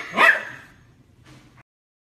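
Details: Dog barking at his reflection in a mirror; one sharp loud bark followed by a faint brief scuffling sound before silence.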